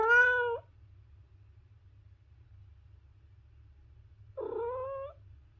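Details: Two meows several seconds apart from a cat, the first bright and clear, the second slightly rougher and rising, with only a soft low hum in between.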